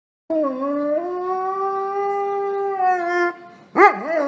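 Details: Female Great Pyrenees, an Alpine livestock guardian dog breed, gives a long steady howl lasting about three seconds with a slight upward step early on, then a short wavering, quavering second note; little background noise.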